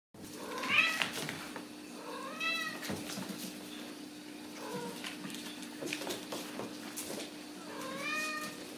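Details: Ragdoll kittens raised uncaged in a home cattery in central Kansas, several high-pitched rising-and-falling meows scattered through the clip, with clicks and knocks of movement and a steady low hum behind.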